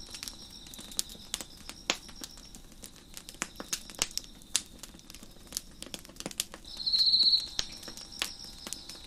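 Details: Crickets trill in the background as a fire crackles on a deck; the thin high chirping fades in and out, with one louder, closer pulsing trill near the end, amid steady sharp snaps of wood.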